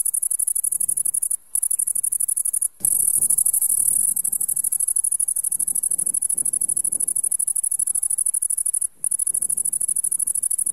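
A great green bush-cricket sings a loud, very high, continuous buzzing trill broken by brief pauses.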